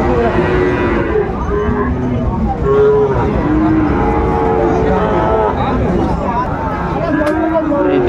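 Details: Sahiwal bull calves at a cattle market, 19 December 2024, where a Chittagong farmer shops: overlapping wavering lows sound repeatedly through eight seconds, set against human voices and distant traffic.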